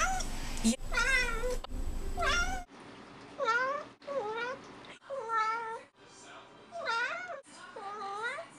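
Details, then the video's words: Cat meowing repeatedly indoors, about seven clear meows roughly one per second, each bending up then down in pitch, with some tones slightly wavering; low background hum early on. "a compilation of meows"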